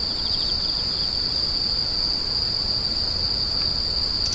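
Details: Insects screeching, offered for sleep and tinnitus relief: one steady, unbroken high-pitched ringing tone holds without pause, with a faint pulsing chirp near the start over a constant soft background hiss.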